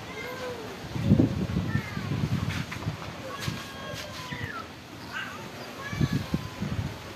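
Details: Stray cats that live at a pagoda being fed rice and fish, giving several short arching meows spaced a few seconds apart, with a person talking and low rumbling background noise throughout.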